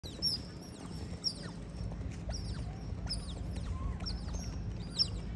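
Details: Sea otters visiting Keppel Harbour, Singapore: high, thin descending chirps and squeaks repeated irregularly, several per second at times, with some overlapping, over a steady low rumble of harbour or engine noise.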